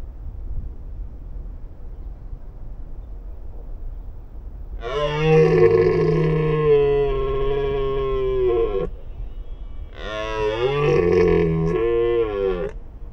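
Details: Red deer in the wild, roaring during the breeding season: two drawn-out, guttural bellows, the first about four seconds long and the second shorter, separated by a brief pause over low ambient hum.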